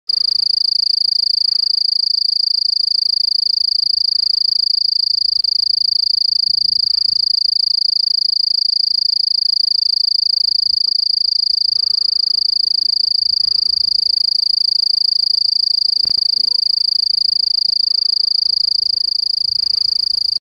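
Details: A mottled bush cricket (Eurepa marginipennis) calls with a continuous, high-pitched ringing trill that holds steady without pause.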